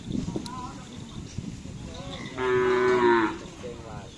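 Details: Cattle at bull racing (karapan sapi) practice in Pamekasan, Madura, let out a loud, drawn-out harmonic moo of about a second, with a shorter moo after it, over crowd noise and a brief earlier low call.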